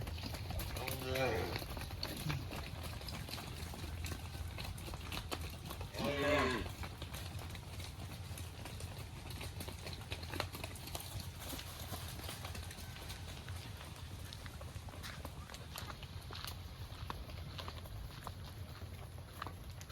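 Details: A cow running back to the barn gives two drawn-out harmonic moos, one early and one a few seconds later, over steady low rumbling background noise.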